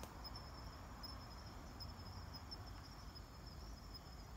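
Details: A Kanetataki cricket, recorded during night collecting on 26 October 2019, gives a thin, high, ringing trill over a low rumbling background.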